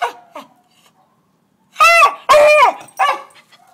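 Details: Beagle barking at squirrels: a couple of faint yips, then three loud, ringing, baying barks in quick succession with rich harmonics.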